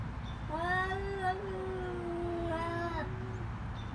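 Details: Fighting cats yowling loudly: long, drawn-out, steady-pitched wails rich in harmonics, a first cry lasting over two seconds, then a second wail that slowly fades, with background hum.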